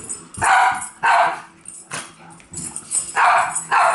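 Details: Dogs chasing a laser bark in loud, harsh single and paired barks spaced roughly half a second to a second apart, with a few softer yelps in the gaps.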